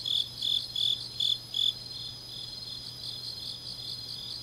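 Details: Grass insects on a deep autumn night in Changnyeong, South Gyeongsang, Korea: five bright high chirps in quick succession over the first two seconds, then a steady high shimmering trill continuing, with a faint low hum underneath.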